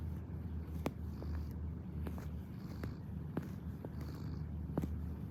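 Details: Purring cat kneading, a constant low throaty rumble with a few sharp clicks and light taps scattered across it.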